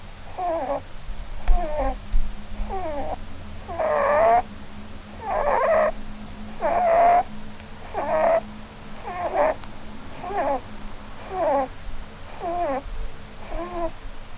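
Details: Blueberry, a female Holland Lop rabbit asleep under the Christmas tree, produces a long run of about thirteen squeaky, wheezing snores, some louder and more tonal, paced a little over one per second indoors.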